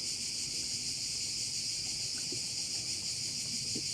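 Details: Shrill, continuous cricket buzzing from a bay on Korčula, Croatia, with a faint regular throb, plus a few soft low taps and a distant rumble of wind.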